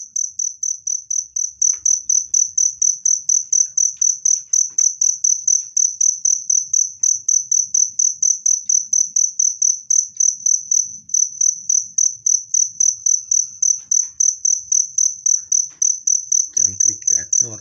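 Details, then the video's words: Loud, clear cricket chirping meant to repel rats and soothe stressed birds; rapid high pulses roll on steadily, nearly four per second, with a brief low rumble of voices or handling near the end. "SUARA JANGKRIK PENGUSIR TIKUS jernih dan keras"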